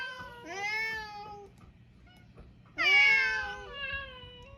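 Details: Two meows from mixed-breed island cats: a drawn-out wavering call, a short quiet pause, then a louder, stronger meow that starts abruptly and tails off slowly.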